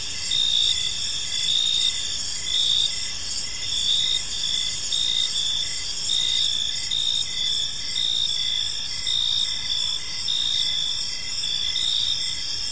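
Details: Evening park chorus of crickets, shrill continuous trilling layered with regular pulsed chirps, roughly one chirp per second from a nearby caller, steady background hum of many insects.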